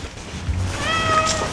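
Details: Norwegian Forest Cat out on an off-leash walk gives a short, clear, tonal meow over a low rumble of wind and handling noise, with a person's voice nearby.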